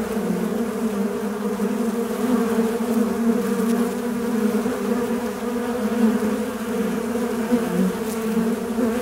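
A fly buzzes steadily, a low droning hum that wavers slightly in pitch without pause.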